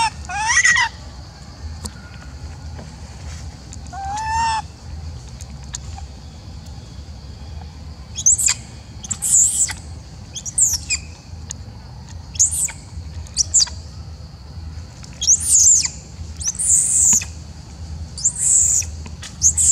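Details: Upset macaque reacting as an old female is fed: one wavering tonal coo early on, then a long run of short, very high-pitched shrieks repeated about every second, loud and piercing, over constant low background hum.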